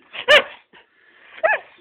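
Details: A female Greyhound in Michigan, vocalizing while being photographed: two short, bright, voice-like yelps with a rising-then-falling tone, less than a second apart, in a quiet room.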